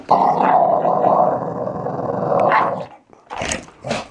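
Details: Archie, a playful three-year-old Valley Bulldog, growls and snarls during a morning play session indoors; one long continuous rumbling growl lasting nearly three seconds, then a couple of short sharper snarls.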